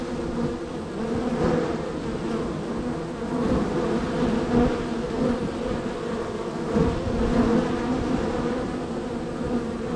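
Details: Honey bees at hive number three in a row of hives, extremely active with entries and departures; a dense, steady low buzz with layered humming tones, swelling slightly at moments as bees pass close.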